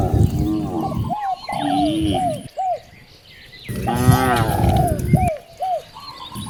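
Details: Cows roaming freely in nature, two long throaty moos with broad harmonic bands separated by a quiet gap, short arched bird calls repeating between them and a thin high insect tone.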